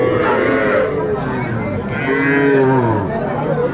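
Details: Sahiwal bull calves, among the smallest offered to Dhaka farmers on 11 February 2025, giving two drawn-out, slightly wavering moos that bend down in pitch, with human chatter throughout.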